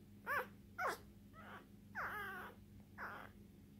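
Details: One-day-old English Bulldog puppy, a lilac tri female born 27 September 2019, giving five short squealing cries, the first two sharp, later ones longer and wavering up and down, spaced about half a second to a second apart, over a low steady hum.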